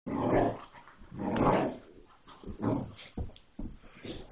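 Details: A Bullmastiff mix puppy growls at a toy in low, rumbling bursts that swell and fade about every second.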